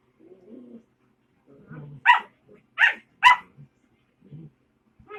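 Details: A puppy making noise: three sharp, yappy barks roughly half a second apart in the middle, with soft low grumbling sounds before and after.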